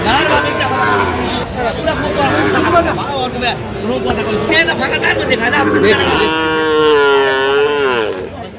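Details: Sahiwal bull calf at a cattle market where a Dhaka farmer buys calves, 8 November 2025: after steady crowd talk and chatter, one long, wavering, harmonic bellow rises near the end and then tails off.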